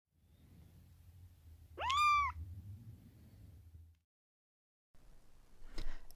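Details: Rescued kitten found sleeping alone on a street without her mother gives a single rising-then-falling meow around two seconds in, over low background rumble, followed by a brief click near the end.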